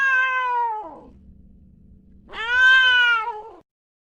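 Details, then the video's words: Two long, clear meows from a cat, the first falling away, the second rising sharply then easing down, separated by a quiet stretch with a soft low hum. "Yes! The cat says meow."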